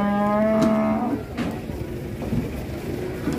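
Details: An enraged cow coming down off a truck in Indonesia gives a loud, low, sustained moo lasting about a second, followed by scattered clattering and handling noises.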